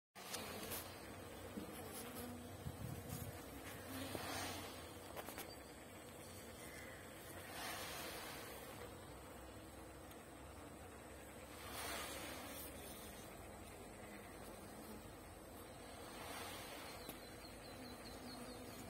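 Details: Honey bees buzzing in a dense, continuous hum that swells and fades over the full stretch, with rough broadband rushing noise throughout.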